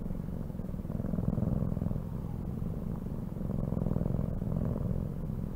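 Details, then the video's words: Domestic cat purring close up, a steady low rumbling drone with fine rapid pulsing, swelling slightly louder and softer over a few seconds, no other clear sounds. "CAT SOUNDS"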